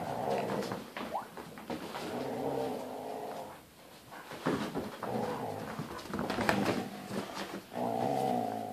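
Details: Husky growling during a father-versus-son tug of war game indoors; a sustained, rumbling harmonic growl rolls on in long stretches, dipping briefly near the middle before resuming strongly, with scattered rough bursts throughout.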